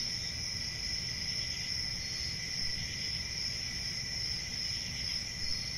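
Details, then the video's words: Even, unbroken high-pitched cricket trilling holds steady throughout, with no distinct breaks, above a faint low background hum. "1 Hour of Cricket Sounds"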